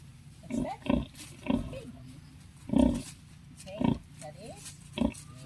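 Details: Backyard farm scene of a native sow with eleven piglets: a steady series of brief, gruff grunts repeats roughly every half second to second, mixed with human speech.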